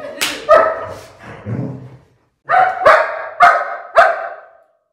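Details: German Shepherd barking while protecting another dog: a couple of sharp barks and a lower grumble, a brief pause, then four loud, evenly spaced barks about half a second apart.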